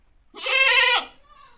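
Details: A mother goat calls her baby with a single loud, strained bleat lasting under a second, rich in harmonics and slightly wavering, then a faint softer bleat trailing after it.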